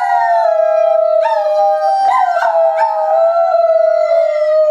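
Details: Dogs, a parent with its young, three animals howling together: long sustained wavering tones holding steady, with overlapping voices rising and breaking in briefly around the middle.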